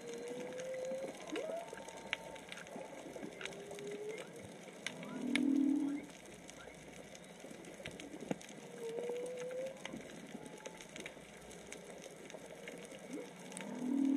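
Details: Underwater whale song recorded snorkeling at Onna, Okinawa, likely three or four whales: alternating short rising whistles and loud low groaning moans, repeating several times amid steady clicking crackle.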